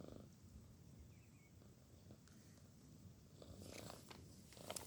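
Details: Shana, a female pet cat, asleep after a day of work, gives a soft, steady low rumbling snore that runs through the whole stretch, with faint rustles and a few light clicks near the end.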